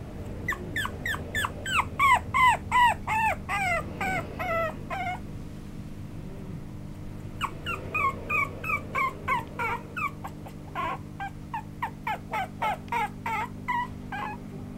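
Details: A male parti-colour Chihuahua gives rapid, high-pitched whimpering yips, about three a second, over a low steady hum.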